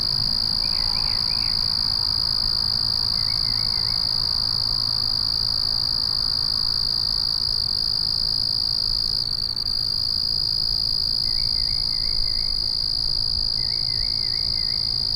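A steady, high, shimmering cricket chorus at night, with a few brief lower trills breaking in.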